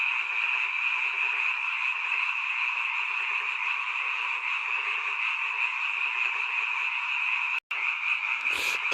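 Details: Night chorus of many frogs near a mountain village, heard only in this season; thick unbroken croaking throughout, with a brief dropout near the end and a short rustle after it.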